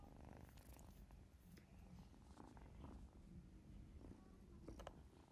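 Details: A kitten that has decided to sleep, purring: a soft, low, continuous rumble lasting the whole five seconds, steady and quiet, with faint rustles on top.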